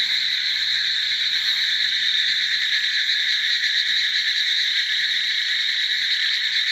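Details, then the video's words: A huge gathering of frogs forms a constant high, buzzing wall of overlapping calls. The pulsing chorus stays level from start to finish, with no single caller standing out. "The sound of countless frogs(100000000000)अनगिनत मेंढक का आवाज"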